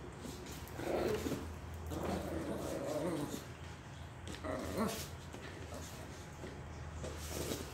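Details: Indoors, a Miniature Pinscher plays with a ball, making rough growls and whiny grumbles in bursts around the first, third and fifth seconds over a low steady hum, with a voice faintly heard.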